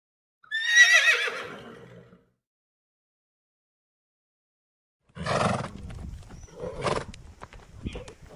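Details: A horse gives a loud, shrill neigh that quavers and falls away, followed by rougher snorting sounds.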